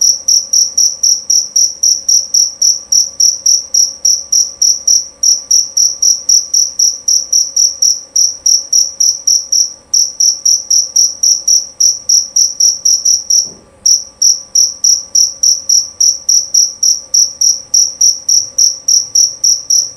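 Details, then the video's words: Jerabang cricket, male, giving a long, clear series of piercing high chirps at a brisk, even pace of about three or four a second. One short gap and a soft thud come partway through. "Bunyi Suara Jangkrik Jerabang Nyaring dan Jernih"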